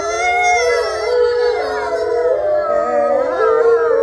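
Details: Gray wolf pack in a captive enclosure chorus-howling together: layered sustained howls at differing pitches, some wavering and dipping then rising again, dense overlapping voices without pause.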